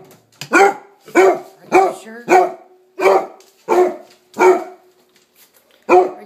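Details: Pet dog barking insistently indoors to demand breakfast: a quick run of seven sharp, harmonic-rich barks in under five seconds, then a pause and one final bark.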